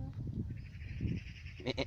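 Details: A goat bleats in a short, drawn-out, nasal call with steady banded overtones, then two quick louder bursts near the end, with low rumbling background noise and people talking nearby.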